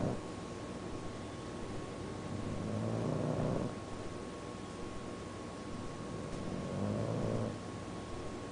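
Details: Chulo, a bulldog, snores while awake: two long, rough, droning breaths with a low buzzy rattle, each lasting about a second, about four seconds apart, over a steady hum.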